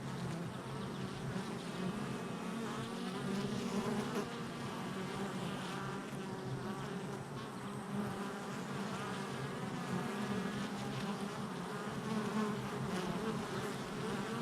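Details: Busy honey bee hive entrance on July 22nd, 2024, with many bees producing a continuous, even droning buzz. Overlapping low hum and higher whining flight tones stay steady throughout, with small surges as individual bees pass close.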